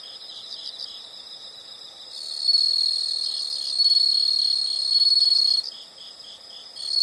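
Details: Insects in a nature sound recording: a high, steady pulsing chorus of chirps with a loud, bright trill swelling in from two seconds and holding in long bursts, a shrill whistle-like tone running through.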